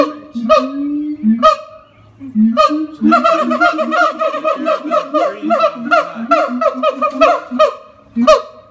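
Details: Los Angeles Zoo siamangs, the gibbon family's largest and loudest members, give low booming notes and isolated barks, then a fast rhythmic run of hoots and rising whoops.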